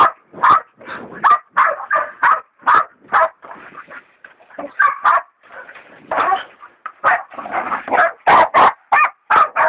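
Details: Two hog dogs, Dixie and Dollie, bay a big sow hog, Dollie a young leopard dog in training; rapid overlapping barks come in uneven bursts, with a short quieter gap of softer yelps midway.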